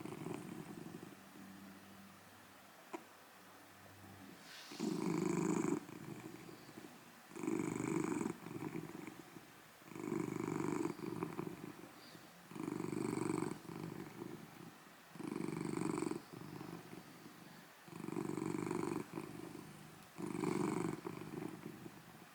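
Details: Matisse, a huge golden tabby Scottish Fold cat, purring loudly on 9 June 2024 as snores turn into purrs; after a quiet start, rhythmic rumbling bursts of about a second repeat every two to three seconds, with a faint hiss in each breath.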